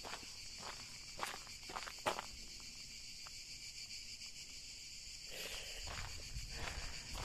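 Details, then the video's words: Cicadas singing live beside the trail on the Célé variant of the GR651 Compostela route between Figeac and Corn, just after a lunch stop at Fessel: a steady high-pitched buzzing drone throughout, with footsteps crunching on the path. "T'entends les cigales là?"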